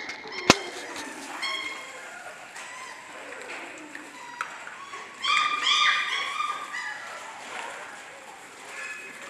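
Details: Six-week-old German Shorthaired Pointer puppies from one litter: a sharp click, then scattered high, harmonic whines and yips, with a louder cluster of overlapping squeals near the middle over a steady low background hiss.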